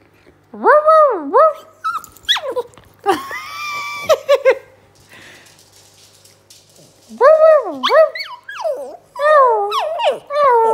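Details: A dog answers a human's bark with drawn-out, wavering, yodel-like vocal sounds that rise and fall. A first bout is followed by harsh, noisy bursts, then a quiet gap, and then a second run of similar warbling calls.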